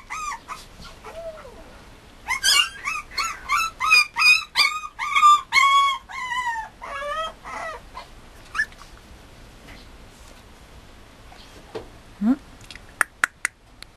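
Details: Mame Shiba Inu puppy from a breeder, uttering a burst of rapid whining yips about three per second, then scattered single whimpers and a few sharp clicks near the end.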